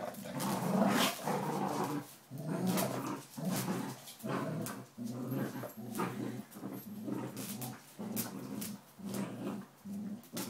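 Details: Inca, a 12-week-old Border Collie puppy, playing tug with a 9-year-old Springer Spaniel: low rumbling growls come in uneven bursts, broken by short sharp thumps and scuffles.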